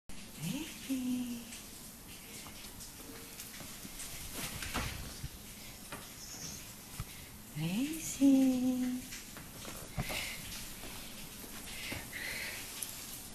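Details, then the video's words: Australian Stumpy Tail Cattle Dog just waking up indoors in a small room, giving two short whining, yawning vocalizations with rising then falling tone, spaced about seven seconds apart, with soft clicks and room noise between. "Австралийская короткохвостая пастушья собака - Проснулась!"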